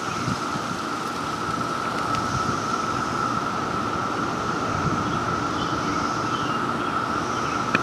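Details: Three types of cicadas call at once at a house in Maryland, building a continuous droning wall: a sharp, steady buzz over a lower whirring hiss, with fainter, higher rasps drifting in and out.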